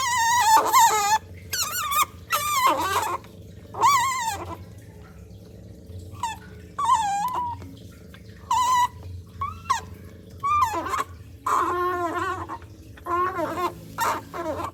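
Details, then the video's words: Baby otter drinking a cat's milk, giving loud, shrill, wavering squeals in bursts of one to two seconds, some rising and falling, with brief quiet gaps between. "Baby otter drinking cat's milk and making a loud noise"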